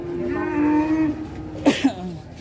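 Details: Rampaging cow on an Indonesian cattle farm that knocked over a motorbike: a steady, long, low moo lasting about a second, followed by two sharp knocks and faint music in the background.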